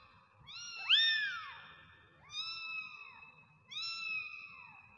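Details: Kittens meowing: three high, clear meows about every one and a half seconds, each rising and then falling in pitch, the first loudest, over faint low background noise.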